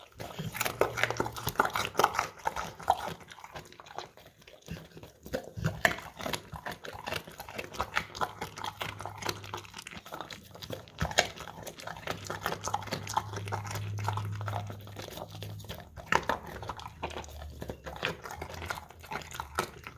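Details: English Cream Golden Retriever eating crunchy carrots from a bowl indoors, recorded on a phone; dense irregular crunching and clicking bites throughout, with a low steady hum underneath.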